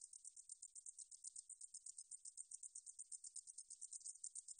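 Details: Meadow katydid (등줄어리쌕쌔기) recorded by Korea's National Institute of Biological Resources in 2020: a high, hissing buzz made of rapid, even pulses, about six per second, held steadily throughout against a silent background.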